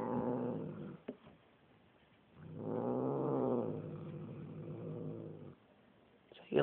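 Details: Low, steady, rumbling growl from a grumpy black pet cat, apparently Bubba, sustained for about three seconds after a shorter opening growl, ending with a sharp higher-pitched burst.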